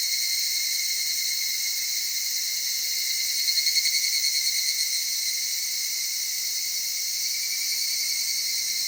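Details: Evening cicadas in an Okutama cedar forest, Tokyo, Japan. A steady high insect drone, with a short pulsing burst of rapid beats around the middle standing out before the even chorus resumes.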